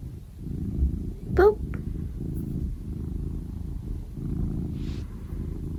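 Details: Pet cat with a deep, even purr throughout. Early on, a short, high, rising squeak cuts briefly across the rumble.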